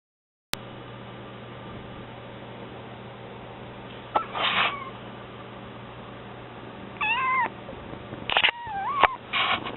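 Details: Mame, a kitten newly arrived in the home, gives thin, feeble meows: one short cry near the middle, then a wavering pair and a quick run of broken mews toward the end, over a steady indoor hum.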